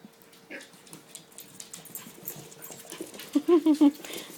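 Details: Seven-week-old puppies of Kia during play: after quiet shuffling, four short low whimpering growls follow in quick succession near the end, with a voice faintly present.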